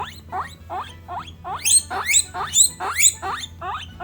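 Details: Domestic guinea pigs, three females of Peruvian, English and Teddy breeds, voicing emotion with a steady series of upswept whistled squeaks about twice a second, growing louder and shriller toward the end.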